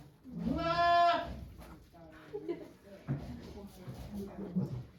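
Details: Goat giving birth to two kids at a farm on 3 May 2023, watched by volunteers; one long, wavering bleat near the start, followed by soft voices and small rustling sounds.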